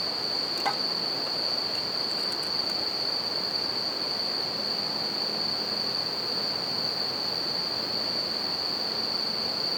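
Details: Bell cricket singing at night beside a campfire and a river: a steady high ringing tone holds unbroken throughout, over a broad rushing wash of river water and a brief crackle from the fire.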